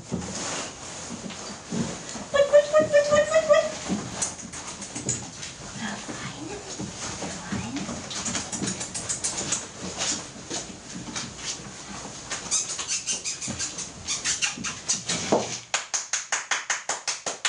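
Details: Four-week-old Airedale Terrier puppies from a litter, one giving a thin, high wavering whine for about a second amid rustling, clattering and bursts of human voices indoors.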